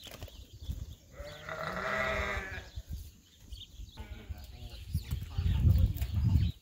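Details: A lamb excited to be outside on a sheep farm gives one wavering, nasal bleat lasting over a second, surrounded by rustling, thumping and handling noise.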